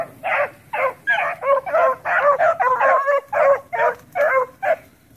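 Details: Young dogs around the house letting out a dense series of hoarse, yelping barks, about two or three each second, loud and close, with a brief pause midway.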